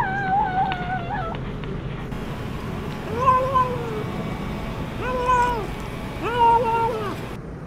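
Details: A hungry cat eating fish alone, not sharing its food with its mother, gives three drawn-out meows that rise then fall, spaced about a second apart, over a steady low background hum.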